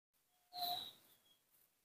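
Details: A newborn baby monkey, hand-reared indoors and hard to bottle-feed, cries for milk: one thin, high, steady whine lasting about half a second, then fading into a quiet room.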